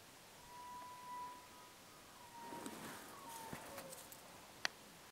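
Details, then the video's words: Wild red deer calling at dawn, around 6 am, during the rut on 22 September 2019 in the mountains of Jargalant sum, Arkhangai, Mongolia. A distant thin whistled note is held for about a second, then shorter falling whistles follow over faint rustling. "Буга дуудах цагаар"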